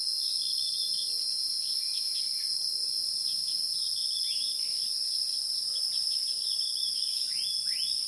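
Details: A steady, piercing insect drone of wild insects, with two high tones sustained without pause, overlaid by many brief bird chirps and a couple of sharp downward-sweeping notes near the end.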